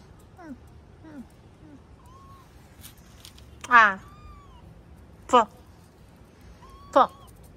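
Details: Cat meowing on a morning of 21 October: a few soft, short falling mews, then three loud, drawn-out meows about one and a half seconds apart, with people talking close by.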